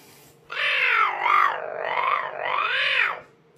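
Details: An unhappy caracal, recorded January 2022, gives a harsh, drawn-out hissing growl with a raspy, wavering tone over nearly three seconds.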